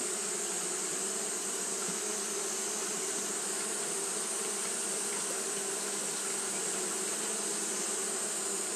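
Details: Japanese honey bees fanning continuously on a hot day; a steady, unbroken drone with low humming bands and a constant high, hissing layer above, no pauses throughout.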